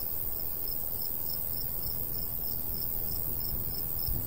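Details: Summer countryside crickets near a golden wheat field give evenly spaced, high, thin chirps roughly three per second, with a constant low breeze underneath.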